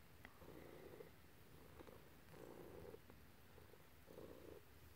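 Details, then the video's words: Quiet purring from a house cat being petted by its owner, one of a black and a grey cat; gentle rhythmic rumble in four even swells roughly a second apart, soft throughout. "kitty loving & purring"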